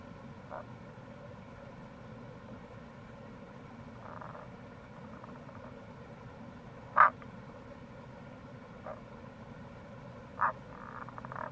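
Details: Tago's brown frog in the wild near a gorge on the Kamo River, Itoshima, Fukuoka, Japan, April: scattered short croaks, the loudest midway and another three seconds later, plus faint pulsed notes, over a continuous stream murmur.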